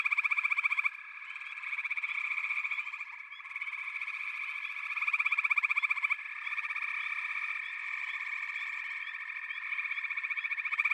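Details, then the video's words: Many frogs call at once in a thick trilling chorus. Loud, rapidly pulsed bursts surge and fade every few seconds over a constant high-pitched background hum of distant callers. "Frog Chorus"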